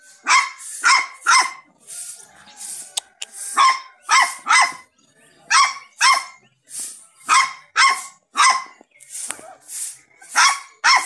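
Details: Puppy barking steadily, about two bright, high-pitched yaps per second in paired bursts. The background is quiet.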